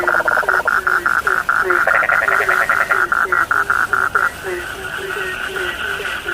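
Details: Night chorus of frogs with a fast run of evenly spaced pulsed notes lasting four seconds, beneath which lower short chirping croaks repeat steadily; the pulsing stops and the softer chorus carries on.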